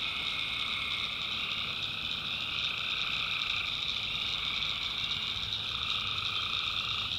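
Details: In a swamp in the North Carolina backwoods at night, tree frogs keep up an unbroken ringing chorus, high and shimmering, with a steady trilled layer beneath and faint low hum.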